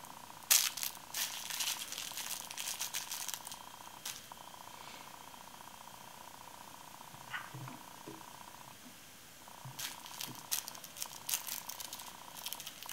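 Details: Purring from Babar, a male Bengal kitten aged 16 weeks, on his first day in a new home while exploring and playing. The soft, continuous rumble pauses briefly midway, with crackling and scratching noises at the start and end.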